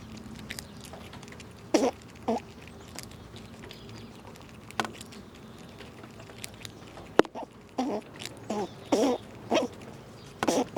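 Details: Squirrels eating nuts outdoors in winter, jostling one another: short crunchy bursts of gnawing and cracking come in irregular clusters, loudest toward the end, with scattered sharp clicks and quiet gaps between them.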